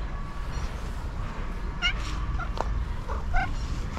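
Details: Rusty, a striped orange cat, meows as he comes from afar to greet: two short, bright, harmonic mews about a second and a half apart over steady low outdoor rumble, with a person calling his name.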